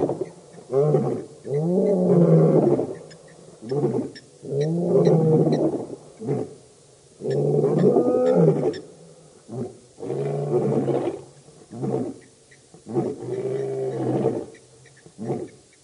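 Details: A Birmingham Boys coalition lion roars at the dam in Djuma Game Reserve, Sabi Sand, near Kruger Park, South Africa, August 2016, giving a slow series of six deep, hoarse grunts about every two and a half seconds.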